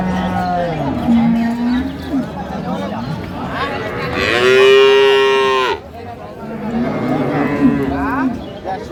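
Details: Improved-breed dairy cows and calves at Ambari cattle market, recorded 2/3/25: a long, steady moo swelling loud in the middle, with softer lowing before and after amid market voices and chatter.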